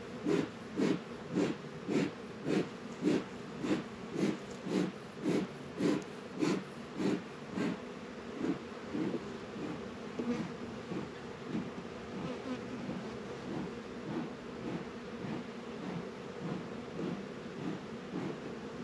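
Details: Honey bees working at a beehive in a northern Kentucky apiary on a 72-degree February day, Warre and Langstroth hives: low droning hum swelling in pulses nearly twice a second, the beats growing fainter and less regular toward the end.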